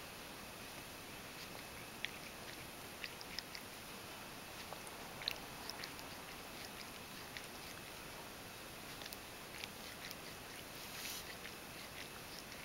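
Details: Ragdoll cat named Mojio grooming contentedly inside a kotatsu, licking its fur: soft wet clicks and ticks at irregular intervals over a quiet indoor room hum.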